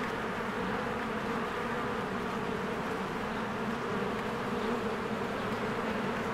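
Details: Busy honeybee hive in spring blossom season, bees flying in and out; a steady, dense, buzzing drone sustained throughout, low and even.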